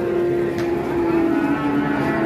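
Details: Giant Pegon cattle at the Pasar Pon market in Ambarawa, Indonesia, lowing in one long, level, drawn-out moo that holds for about two seconds before cutting off abruptly, over a steady background hum.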